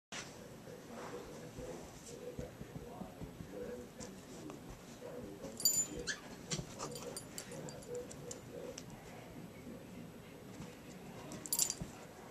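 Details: Lucy, a new female German Shepherd puppy, plays and messes around, making soft whimpering and growly noises in short bursts, with a few sharp clicks or knocks, while a person repeatedly says "no" and "come on".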